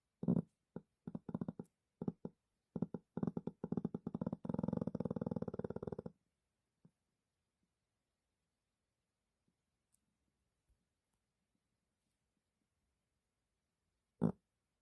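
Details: A sleeping dog snores in a quiet indoor room: a run of rasping, fluttering snore bursts for about six seconds, then near silence broken by one last short snort.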